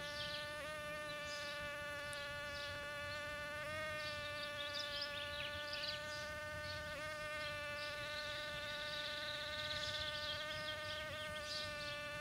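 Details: In a back yard, mating bumblebees produce an unbroken, even-pitched hum with a few short wavers, accompanied by intermittent high twittering in the distance.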